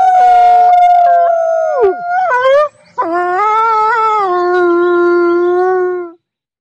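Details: Wild wolves howling: overlapping long, sustained tones that drop sharply, then after a short pause one deep drawn-out howl slowly sinking in pitch, with a higher voice above it.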